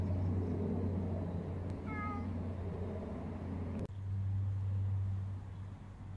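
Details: Stray cat, heavily built, with one short, soft meow amid a loud low hum and a sharp click shortly after.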